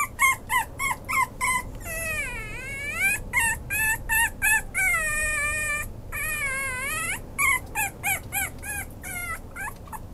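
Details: Maltese–Chihuahua cross dog alternating quick high yelping whimpers with long drawn-out whines that dip and rise in pitch like a small howl, then back to rapid short cries, indoors with a low steady hum behind.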